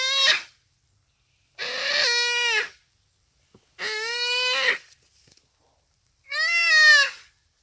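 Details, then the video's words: Dying common duiker crying for help as a cheetah kills it, Phinda Private Game Reserve, rainy afternoon; four bleating wails repeated every second or two, each steady then slightly falling, clear harmonics. "Buck Cries for Help from Cheetah"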